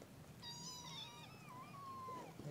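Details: Kittens, a whole litter, giving a long thin meow that wavers and slides down, then a second drawn-out even meow; faint low background noise.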